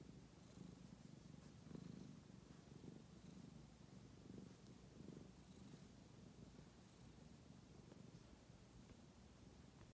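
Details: Tabby cat purring while enjoying head scratches: a soft, steady low rumble pulsing in slow, regular waves throughout, quiet and close, with no other sounds.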